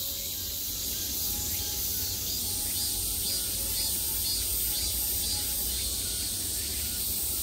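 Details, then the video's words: Summer cicadas heard from all sides, a continuous high whining drone with faint pulsing, a thin steady tone and low rumble in the background. "매미소리를 들으며 휴식. Cicadas's buzzing sound"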